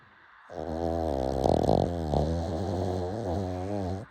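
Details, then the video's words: A pug snoring late at night, one long, loud, droning snore lasting nearly four seconds, rattling and wavering slightly in pitch, in a small quiet room. "Late night snoring"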